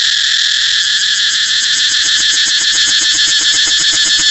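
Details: Cicada's unbroken high buzzing song. Partway through, a fast, regular lower pulsing of nearly four beats per second builds up beneath the steady hiss.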